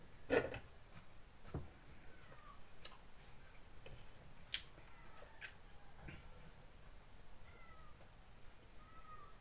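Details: Ginger cat indoors at morning breakfast, begging while its owner eats a sandwich: three soft, brief meows, each sliding downward, spaced across several seconds, with faint taps and clinks of dishes in a quiet room.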